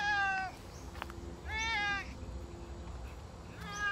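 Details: Savannah cat out on a summer walk, giving loud drawn-out meows, three in four seconds, each with a falling tail, over a steady low background rumble.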